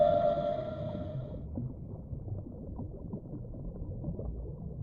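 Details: Whale. A whale's call opens the recording as a sustained, mid-pitched tone rich in overtones, lasting just over a second. After it stops, only a low, rumbling wash of underwater noise remains.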